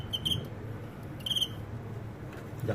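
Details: Crickets during a cricket fight: two short, pulsed, high-pitched chirp bursts about a second apart over a low, steady indoor rumble.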